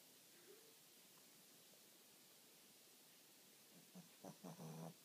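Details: A Shih Tzu called Willis sleeping: after a quiet stretch, a short series of low, throaty, fluttering snores builds up over the last second.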